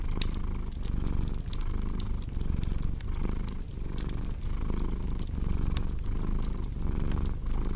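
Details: Close, throbbing purr of a cat, rising and falling in regular breathing cycles. Frequent crisp pops of fireplace embers sound over the low rumble.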